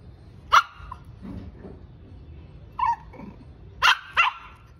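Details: Stubborn Shih Tzu puppy named Shiro, getting angry: four sharp, high, yappy barks, one at the start, one near the three-second mark, then a quick double near the end, with faint low murmuring between them.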